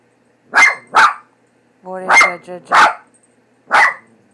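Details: Pet dog Leo barks repeatedly and unevenly at a cat picture on a cat food bag he fears, while a person asks questions between the barks.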